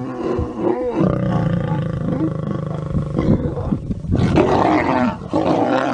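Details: Mating lion pair giving loud, continuous harsh growling and snarling, with a rasping rumble throughout and a louder, noisier outburst in the final two seconds.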